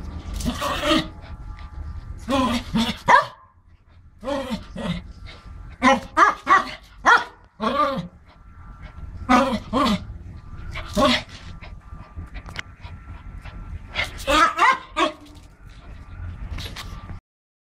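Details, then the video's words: A Pomeranian named Romy barks while playing, sharp high yaps in quick clusters of two to four, separated by short pauses, repeated through the recording. "Cute Pomerenian dog playing"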